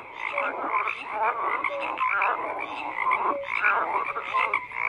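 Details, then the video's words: Many frogs croak together in a thick, rasping chorus, overlapping pulsed calls with occasional short whistled notes, no pauses. "FROGS CROAKING"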